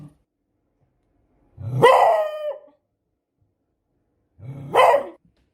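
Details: Beagle barking: two loud, harsh barks about three seconds apart, the first drawn out into a short wavering bay with a falling tail, the second shorter; silence between them.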